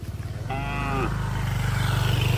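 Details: A cow from a herd wandering on the road gives a single short, harmonic-rich moo lasting about half a second, nearly buried under the rhythmic chugging of a motorcycle engine close by.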